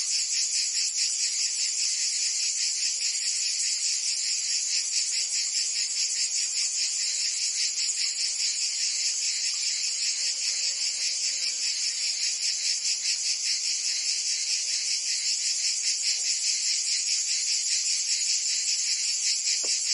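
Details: In Provence, southern France, cicadas sing through a summer day: an unbroken high-pitched rasping drone with quick even pulsations, a brief faint low sound near the middle.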